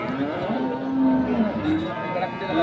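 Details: A crossbred bull at Ambari market in Dinajpur, Bangladesh, 2 January 2024, gives one low, sustained moo amid loud market hubbub and voices.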